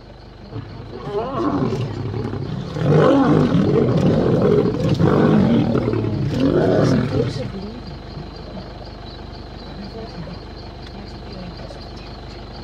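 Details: Male lions fighting: loud, rough snarling roars and growls surge for about six seconds, then fade, leaving a thin steady high hum and human voices in the background.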